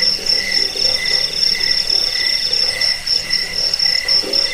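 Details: Crickets chirping in a dense chorus: a steady, shrill, high pulsing trill with a second lower chirping line beneath it, and faint soft low bursts in the background.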